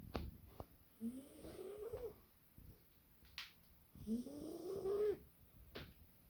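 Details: A British Shorthair cat snoring in its sleep: two soft, wavering tonal breaths, each about a second long, over a faint background of clicks and rustles in a small room.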